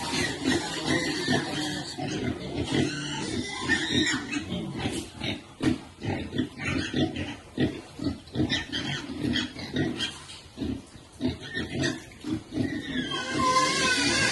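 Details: Pigs with piglets at feeding time in a Cambodian village, giving dense rapid grunts and squeals, repeated irregularly about twice a second, with rustling and a brief burst of noise near the end.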